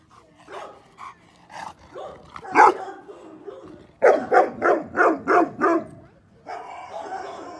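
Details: Male North American Mastiff, seven months old and blue brindle, opens with scattered soft woofs and one sharp bark, then fires six strong barks in quick, even succession before a steady background hum.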